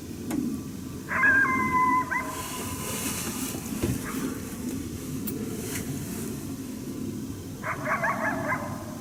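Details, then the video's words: Challenge barking from a hidden wild coyote annoyed by a hunter at St-Andrews, 1 March 2019: a loud bark sliding into a held whine, then another harsh barking burst several seconds later, with rustling nearby. "Chasse aux coyotes St-Andrews 1er mars 2019, challenge bark"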